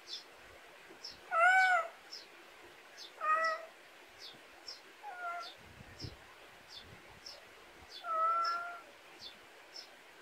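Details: In a Korean country backyard, a pet cat meows four times: a strong first call, a second soon after, a faint short third, then a longer final meow, with rapid thin chirps pulsing throughout behind it.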